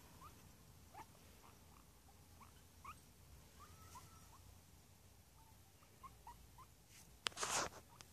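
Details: Pet guinea pig giving a series of short, quiet rising squeaks, repeated irregularly about every half second, over a steady background hiss, ending with a loud rustling burst.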